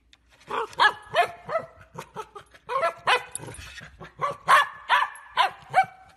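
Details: Rapid, excited barking from a Golden Retriever, about a dozen short, high, yelping barks in uneven quick succession, some with a whining edge, over six seconds.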